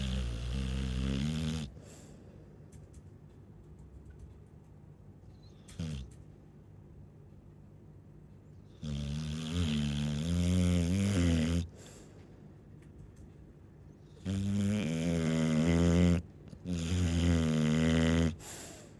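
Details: Chow Chow snoring while asleep: loud, harmonic-rich rasping breaths in long bursts of two to three seconds, separated by quieter pauses, deep low rumble with buzzy overtones.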